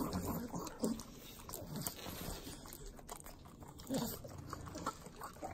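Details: Three pugs eating butter in Southern California; short nasal snorts around one and four seconds over continuous sloppy licking and smacking sounds.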